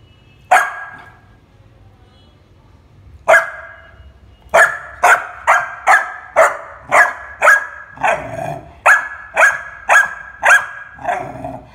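A Labrador puppy barks in sharp, repeated bursts, two isolated barks followed by a rapid run.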